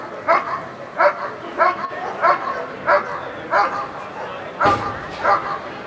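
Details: At the NIAK 2014 protection trial, Eran von Houthrack barks repeatedly in a steady rhythm, about nine barks in six seconds, with a brief sharp thud midway and people talking behind.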